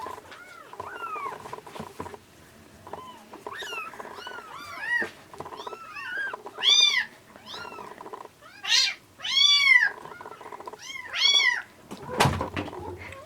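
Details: Rescued kittens, an orange tabby and a black-and-white one, found in late February at about 80 g and now nearing weaning, bottle-fed milk indoors: repeated arched, high-pitched meows, some rising, over a steady humming noise, with a thump near the end.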